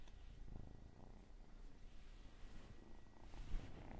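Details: Quiet, continuous low purring from a domestic cat in an ASMR recording, a grainy rumble with faint rustling and a small bump near the end.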